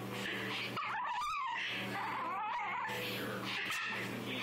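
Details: Indoors, a female Shih Tzu angry about being brushed produces a steady snarl overlaid with high, quavering, whining squeals that wobble up and down, alongside a faint low steady hum.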